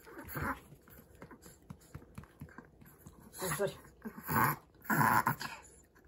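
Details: Overexcited male Chihuahua indoors, so happy he struggles to breathe with hyperpnea: quick, rhythmic breathy puffs of about four per second, with louder bursts of people speaking Japanese and English commands over it.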